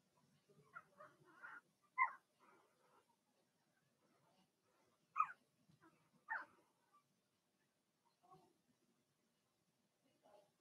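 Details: Young Blenheim Cavalier King Charles Spaniels, six littermates whelped in March, kept in a puppy pen; irregular bursts of thin yips and whimpers, three louder cries spaced a few seconds apart, and faint rustling between them.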